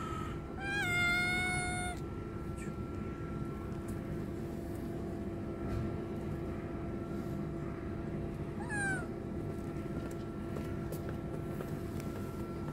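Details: A hungry homeless kitten under attack from a strong male cat; a drawn-out, strained meow of about a second and a half, then a shorter falling meow several seconds later, over a constant low background hum.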